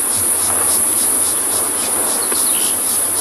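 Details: Cicadas singing in the trees at sunset on an African safari in February sing a steady, shrill, very high buzz that never lets up, with a soft low rumble underneath, as emerald-spotted wood doves call.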